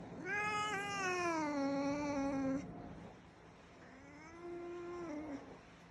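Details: Pet black cat indoors, one of a home's rescued cats, recently sleeping through playtime; a long clear meow sliding down then holding steady for about two seconds, followed after a pause by a softer, shorter meow.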